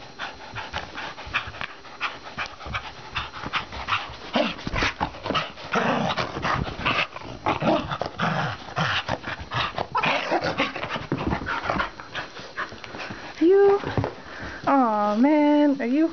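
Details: Pet dogs at play, scuffling and panting with rough, growly bursts, then two high, wavering whines near the end; a person chats and calls to them throughout.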